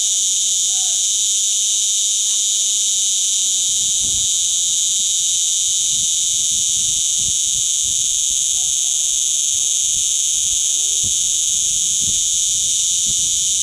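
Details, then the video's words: In August 2011 a cicada sits on a Portuguese holiday villa wall, producing an unbroken high, hissing buzz at even volume, with faint low knocks underneath. "CICADA,DOING ITS CALL."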